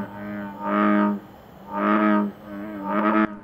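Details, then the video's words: An invasive American bullfrog in a swamp near Rome, Italy, gives its characteristic song to win a female: deep, droning notes, each about half a second long, repeated roughly once a second. "the American bullfrog to conquer the female emits a characteristic song"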